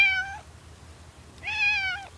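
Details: Cat on a countryside nature hike meows twice, clear and strongly harmonic, each cry about half a second long and slightly falling, a second apart with quiet in between.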